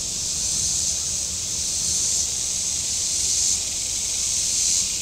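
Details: A dense cicada chorus rings from the shoreline at Table Rock Lake in southern Missouri on a very warm boating Saturday, a steady high sizzling buzz that pulses slightly in loudness over a low, murmuring background.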